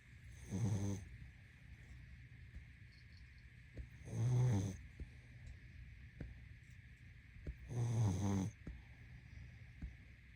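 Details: Sleeping pug snoring in three rough, buzzy bursts about every three and a half seconds, each low and rattling with bright upper overtones, separated by quiet breathing and a steady faint hum.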